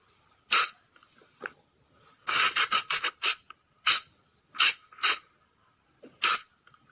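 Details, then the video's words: Shrill, grating squeaks of a Sunda flying lemur, used at night as a lure. A few single notes, then a fast run of harsh bursts, then notes spaced under a second apart. "เสียงต่อบ่างป่า หรือพุงจง,พะจง flying lemur sound"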